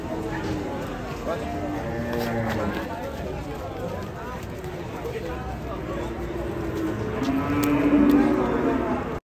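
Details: An Indonesian cow, part of a compilation of raging cattle on the loose, lows in long harmonic moos that peak strongly near the end, with speech and light music underneath.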